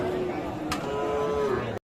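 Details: Sahiwal bull at the Aftabganj market in Nawabganj, Dinajpur, 11 October 2022: a drawn-out, higher tonal lowing that rises slightly and then falls, with a sharp knock early on and a steady murmur of market noise.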